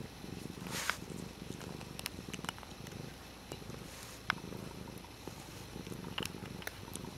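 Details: Dutchess the cat purrs in a low, continuous rumble while playing with a water bottle lid, accompanied by frequent small taps and clicks.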